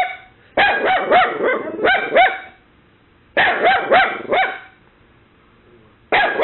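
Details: Short volleys of piercing, high-pitched yaps from Kaylee, a mini Dachshund puppy, guarding against an imagined intruder after a knock. Two groups of about four barks are broken by a quiet pause, and a new burst starts at the end.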